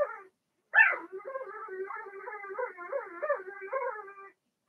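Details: Blenheim Cavalier King Charles Spaniel puppy in an indoor pen with its littermates; a brief yelp followed by a pulsing, quavering whimper that wobbles in pitch for about three seconds.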